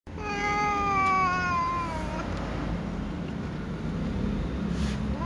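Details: Ginger domestic cat with other cats, meowing furiously while waiting to be fed: one long, drawn-out harmonic meow that slowly falls in pitch over about two seconds, followed by low rumbling background noise.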